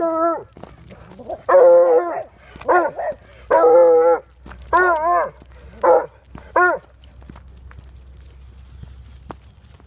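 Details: Female hound dog up for adoption, kept in a foster home, giving six loud bays over ten seconds, each a sustained harmonic tone with a wavering, bending pitch, separated by short pauses over a quiet low hum.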